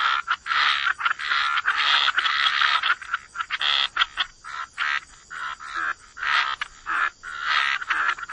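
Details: Wetland frog chorus, many frogs giving rapid raspy croaks that overlap into a near-continuous pulsing sound, with a faint steady high tone in the background.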